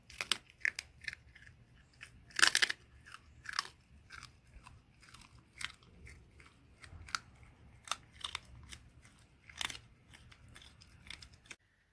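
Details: Loud wet chewing and crunching from a dog eating indoors: sharp clicks and crunches in irregular bursts, one loud bite near two and a half seconds, no voices.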